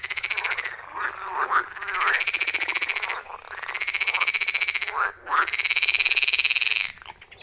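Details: Frog chorus from a forest pond deep in the woods, recorded on iPhone 14 Pro and Shure MV88+; loud, sustained buzzing pulsed trills run for seconds at a time, with brief gaps and rising croaks beneath.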